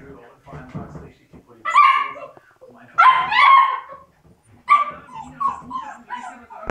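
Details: Labrador Retriever puppies parting from their siblings, high whimpering whines in three bursts with a falling, wavering pitch, between low murmuring and rustling.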